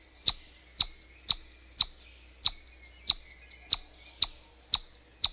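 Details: A chipmunk gives a run of ten sharp, high-pitched whistled chirps, roughly two per second, each clipped and bright against near silence.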